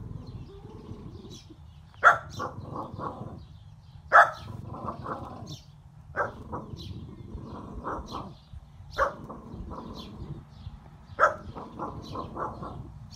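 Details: A female French Bulldog, excited at seeing a bunny across the fence and wagging her tail fast, gives sharp yelps, each followed by a quick run of short, pulsing whines and grunts.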